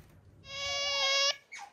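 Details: A young male pet otter, Aty, who came to the home at nine months old, during an affectionate encounter with otter Ui: one loud, sustained, harmonic-rich squeal lasting about a second, held steady at a high pitch, then a brief softer squeak.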